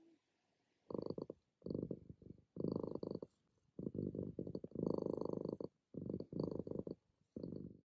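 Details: Domestic cat purring loudly while settling into a morning nap, a run of coarse, throbbing rumbles in bursts of about half a second to a second, broken by short quiet gaps, with a faint high whine in the background.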